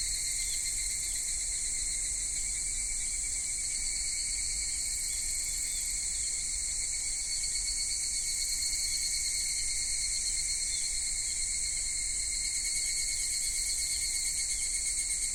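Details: Japanese summer cicadas, minmin-zemi through dusk higurashi, at Michinoku Folk Village and Kitakami Tenshochi; a long, unbroken shrill buzz holds steady, with a brighter high layer joining toward the end.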